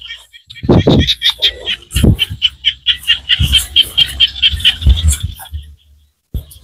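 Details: Small frogs calling in Cambodian countryside rice fields: a steady run of short, high, clicking pulses repeated several times a second, layered with louder low thumps and knocks.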